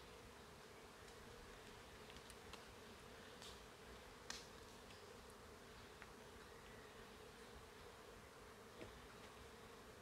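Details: Bees, thought to be nesting high in trees at the Oxtankah Maya site near Chetumal, Quintana Roo, Mexico, in forest, 2023, give a continuous low, even massed drone with occasional soft clicks and taps.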